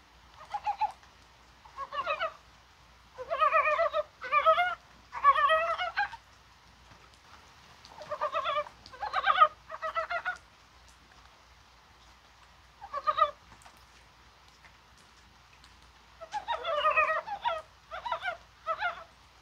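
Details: Mountain frog chorus in January rain in Korea on a spring-like day: loud clustered runs of rapid, rising clucking croaks, several callers overlapping, with pauses of one to six seconds between groups and a faint rain hiss.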